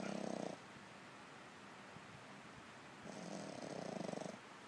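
A French Bulldog snores in two long, rattling breaths with a low, fluttering rasp.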